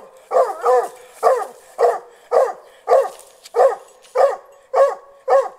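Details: Hunting dog about one year old confronting a snared wild boar in hunting training, barking while keeping back; rapid loud barks, a double bark near the start, then single barks at a regular half-second pace.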